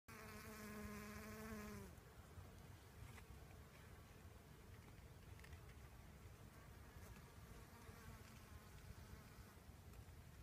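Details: A western honey bee pollinating sorghum gives a steady, low wing buzz passing close for two seconds, then fading to a faint hum.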